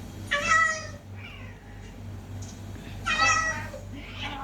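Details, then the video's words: Cats described as fighting: two strong, harmonic meows about three seconds apart, each followed by a softer, fading cry, over a low background hum. "TRY THIS SOUND ON YOUR CATS"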